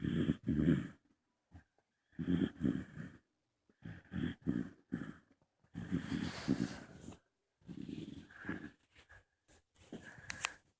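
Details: Sleeping young female bulldog snores in a steady rhythm, each low, rattling snort lasting under a second, some coming in doubled bursts, with short quiet gaps and occasional airy wheezes between them.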